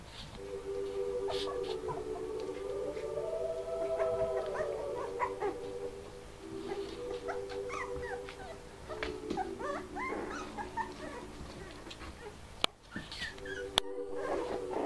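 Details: Four-week-old Bichon Frise puppies playing and play fighting, out of their basket for the first time and very excited: long wavering whines and howls overlap with sharp yips and squeaks, plus a couple of clicks near the end.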